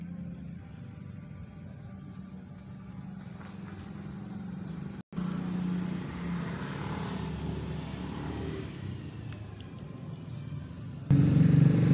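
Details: Steady low engine rumble and traffic noise with a brief dropout midway and a louder hum near the end; no animal calls are heard.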